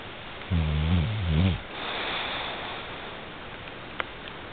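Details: Al, a sleeping bulldog, gives a single low, droning snore lasting about a second, its pitch wavering slightly, followed by soft breathy hiss and a faint click.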